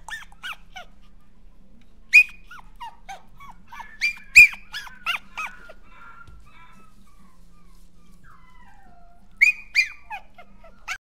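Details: Whimpering Toy Poodle with thin, high-pitched squeaky whines, first in a rapid string, then scattered single cries with longer gaps, ending in a few louder downward-sliding yelps.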